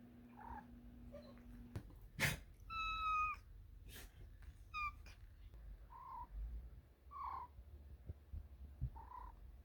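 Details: Cat trilling and making small noises while asking for treats indoors: soft short chirps, a few clear tonal rising trills in the middle, scattered clicks and knocks, with a low background hum.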